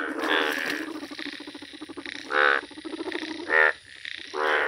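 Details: Bright yellow Indian bullfrog (Hoplobatrachus tigerinus) calling in the wild, giving loud, harsh, nasal croaks in bursts about a second apart.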